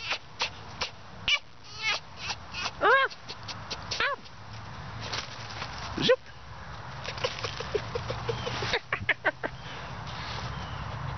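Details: Pet fox playing indoors on a chilly winter morning, uttering quick high chirps and yelps, some arching up and down in pitch, in irregular bursts; a person talks softly to it throughout.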